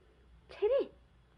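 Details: Rescued stray kitten named Cherry, one week after her rescue, gives a single short meow that rises and then falls, tonal with clear overtones, in a quiet indoor room.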